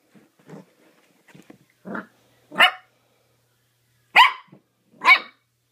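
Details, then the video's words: Mini dachshund puppy named Zoe in excited play, opening with soft low grumbles and small yips that build into three loud, sharp high barks near the end. "Zoe the mini dachshund puppy going crazy playing"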